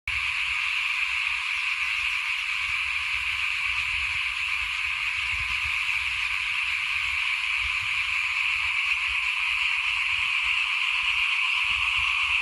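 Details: Frogs calling in front of a house at rice sowing time in 2021: a dense, continuous chorus of overlapping rasping calls forms a steady high hiss, with faint low rumbles underneath.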